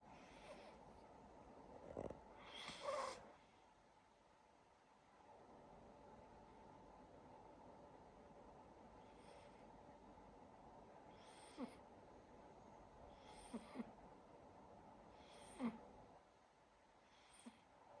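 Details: Silver Siberian Forest kitten sleeping indoors, snoring softly with irregular breathy bursts, a louder cluster of snorts early on, then quieter rhythmic breaths every two seconds or so.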